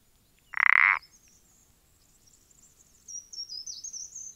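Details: One abrupt, harsh croak from a common parsley frog (Pelodytes punctatus), dated 14-04-20, followed by soft high-pitched chirping of birds in the distance.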